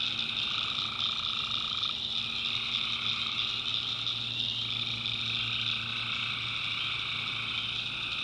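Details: Tree frogs calling at night in a swamp in the backwoods of North Carolina: a dense, unbroken chorus of high trilling voices, with a lower layer that breaks off near two seconds and resumes later over a steady wall of sound.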